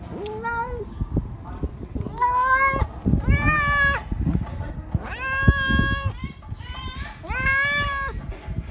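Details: Stray cat, scared yet asking for more food, meowing outdoors: five drawn-out meows, the first short and low, the rest longer and brighter with a slight rise and fall, spaced about one to two seconds apart over low background rumble.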